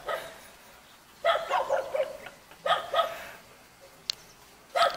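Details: Jindo puppy in a mountain village by Jeonju, South Korea, giving bursts of sharp, high yappy barks in short runs with gaps between, a faint click and low background hiss.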